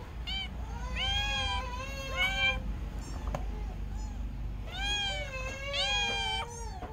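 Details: Kitten giving loud, long, wavering meows in two bouts, each cry rising then sagging in pitch, with a brief pause in between; steady low rumble of background noise throughout.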